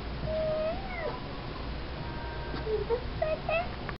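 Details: Young Soft-coated Wheaten Terrier puppy giving high, drawn-out tonal whines, a long steady cry followed by several short squeaky yelps toward the end, with faint room noise behind.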